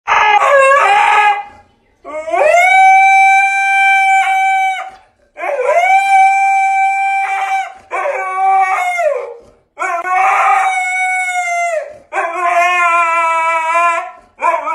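A Siberian Husky gives a series of drawn-out howls, each rising into a steady, rich tone before dropping away at the end. Short breaths separate the howls, and the last one wavers higher with a yodel-like break.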